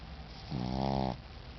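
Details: Tired Shih Tzu snoring indoors: a single drawn-out, harmonic rumbling snore lasting about half a second, low and steady with a faint buzz, set against quiet room hiss.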